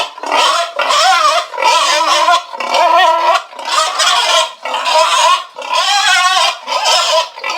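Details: Loud, drawn-out pig squeals, each lasting about a second with a wavering, harmonic tone, repeated in a steady series with short silent gaps between calls.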